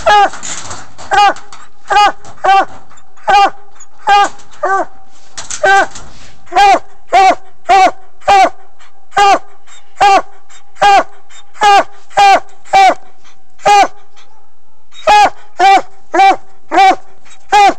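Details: A pet coonhound barks over and over in a fast, steady series of bright, falling yelps, about one each half second. Brief human speech and rustling come near the start, and a short pause follows before the barking resumes.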